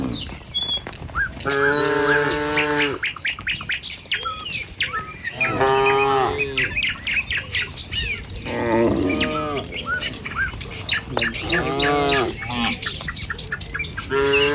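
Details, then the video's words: Herd of tame cattle crossing a village road on their way to the pen, morning: roughly five long lowing moos a few seconds apart, overlapping one another at times, while many birds chirp and tweet around them. "Suara Sapi Moou Sepanjang Jalan Menuju Kandang"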